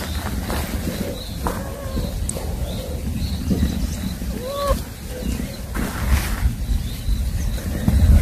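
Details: Roaming kittens giving a few short, thin meows, each rising then falling in a small arch, scattered over several seconds, the clearest near the middle, against a steady low outdoor rumble.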